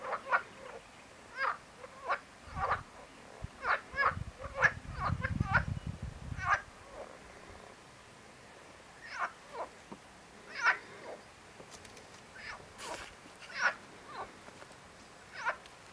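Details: Marsh frog, Pelophylax ridibundus, giving short rasping croak bursts in irregular runs, several per second at times, with pauses between groups; a brief low rumble in the middle and a faint background hiss.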